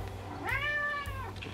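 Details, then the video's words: Male domestic cat kept inside while a raccoon mother eats outside, meowing loudly to go out; one long, drawn-out meow rising then falling, with faint background music. "Solo cat is being as loud and as obnoxious as he can"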